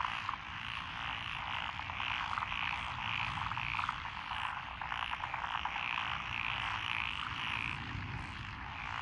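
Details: Many frogs calling in lotus rice paddies of Echizen, Fukui, Japan, June 2021; a continuous dense chorus of rapid croaks and repeated short trills fills the whole stretch, with a faint low rumble beneath.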